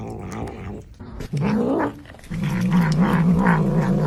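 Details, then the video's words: Domestic cat making strange noises while eating: a low, rough, continuous growl with a brief pause midway, steady and rumbling throughout. "Cats always make strange noises when eating"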